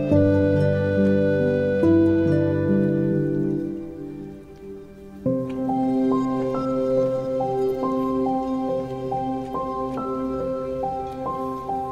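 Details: Gentle new-age music with sustained chords and a stepping melody, against a patter like rain, with no animal calls.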